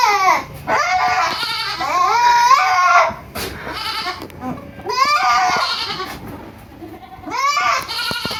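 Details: Kids on a goat farm in Purwokerto, Indonesia, bleating in overlapping, trembling harmonic cries, a long chorus in the first three seconds followed by two further bursts, with light barn clatter.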